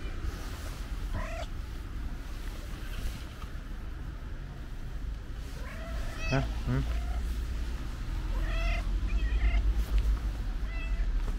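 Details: Pink-nosed cat, described as very affectionate, gives a handful of brief mews, some doubled into quick two-part calls, against a deep urban hum of passing vehicles and occasional voices.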